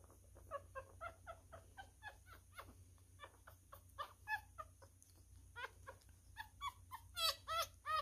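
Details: Newborn male miniature schnauzer puppy being hand-fed, a messy eater, giving high squeaky whimpers in quick runs of about three per second, louder and shriller toward the end, over a steady faint hiss.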